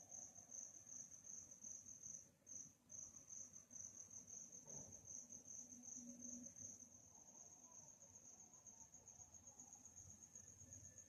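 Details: Crickets at night in a calm nighttime atmosphere: a steady, high, shrill chirping trill that runs almost unbroken through the whole stretch, with a brief dip near two seconds and faint low background hum.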